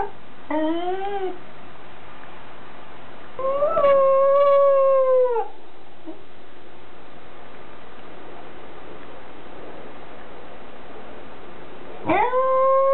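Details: A Welsh Corgi named Goro, recorded on 5 October 2006, gives sustained, tonal howls that waver and slide downward, separated by quiet pauses.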